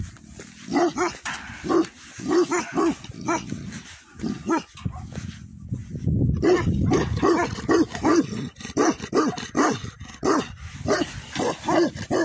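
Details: At a Nepalese yak farm, a Bhote Kukur (Tibetan Mastiff) barks repeatedly in paired and single deep woofs, pausing briefly near the middle before resuming a steady series of loud barks.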